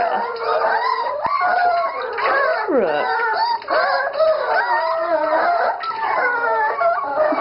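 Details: Dachshund howling mournfully during a puppy bath, long wavering harmonic wails rising and falling, some sliding downward, with a person talking over it.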